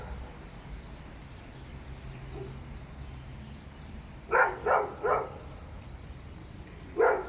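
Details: Dog barking inside an apartment building, heard through the walls as neighbour noise; four short muffled barks in a quick burst about halfway through, then one more after a pause, over a steady low hum.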